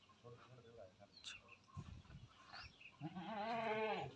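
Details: Big, tall male Beetal goats kept for Qurbani sacrifice: a man talks briefly, then one loud, quavering, wavering bleat rises and holds for just over a second at the end.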